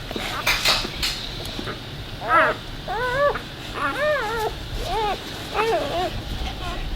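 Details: Newborn Labrador puppy lying near its mother to nurse, heard during the birth of the litter; a run of about seven high, arched, whimpering squeaks in quick succession over the second half, with some clinking and rustling before them.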